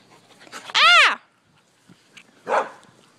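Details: Shiva, a pet German Shepherd, playing outdoors near a birdbath on a hot day: one loud, harmonic bark arching up then down in pitch, followed about a second and a half later by a softer, rougher bark; quiet background.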